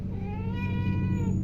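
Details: A hungry cat gives a single long, steady, drawn-out meow over a low constant hum, while a person nearby asks about rice.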